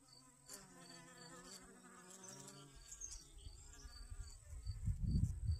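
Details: Honey bee gathering sunflower pollen in a garden, August 25th 2021: a low humming buzz with layered overtones for about three seconds, then fading under gusty wind rumble.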